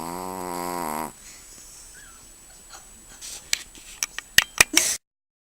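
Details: Chihuahua asleep indoors gives one long, loud, buzzy snore lasting about a second, followed by quiet room noise and a run of sharp clicks and taps near the end.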